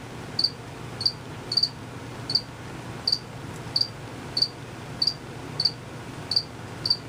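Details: Male crickets, not visible, chirping by quickly moving their wings. Clear high-pitched chirps, sometimes doubled, sound about every half second over a quiet low-frequency hum.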